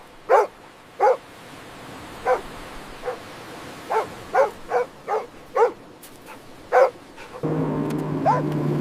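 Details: Puppies playing with baby rabbits on fresh green grass outdoors give short, sharp yapping barks, spaced irregularly about one per second. A steadier tonal hum enters in the final second.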